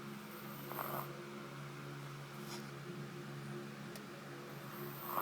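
A Shih Tzu snoring, a low, steady, rumbling drone with a few faint clicks and snuffles.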